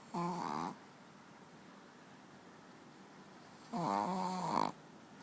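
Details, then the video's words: Sleeping on the bed, pet dog Manja gives two rough snores, the second longer and wavering at its end, separated by a few seconds of quiet indoor hush. "Dog snoring"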